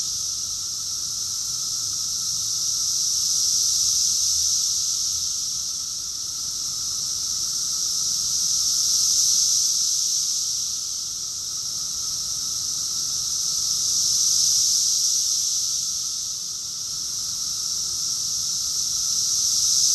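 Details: Cicadas in chorus during summer in Rockville, Maryland, USA, recorded June 2021; an intense, high-pitched continuous buzz pulsing in slow swells every five seconds or so, without other animals or human sounds.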